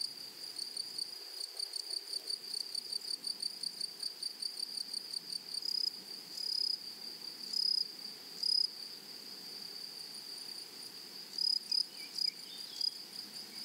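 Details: Grasshoppers chirp in a flowering meadow. Quick, high-pitched pulses run fast and regular for the first half, then give way to fewer, louder, longer single notes spaced irregularly, over a steady high hum.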